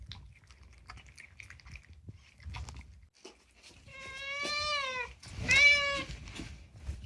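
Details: Pet rescue cat meowing, mostly about food: faint clicks and rustles, then two clear drawn-out meows, the first about a second long and slightly falling, the second shorter and higher, indoors.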